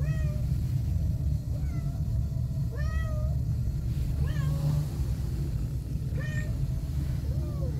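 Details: Several small fluffy kittens, still wobbling as they grow, crying in quick succession: about eight short, high-pitched, curved mews, a few overlapping, over a heavy steady low hum.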